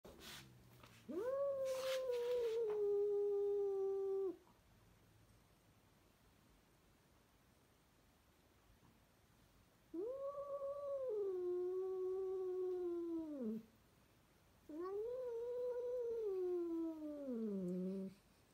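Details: Domestic cat meowing indoors; three long, drawn-out, even-pitched yowls of about three seconds each, separated by pauses, with a clatter at the start.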